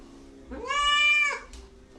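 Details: Domestic cat producing one drawn-out meow that swells, holds, then falls off, with a soft click just after it in a quiet room.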